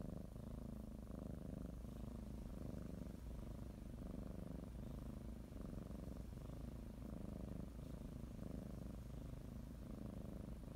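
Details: Domestic cat purring while kneading and biting a blanket as she prepares for a morning nap; steady low rumbling purr pulsing in regular inhale-exhale cycles roughly every second, quiet indoor setting.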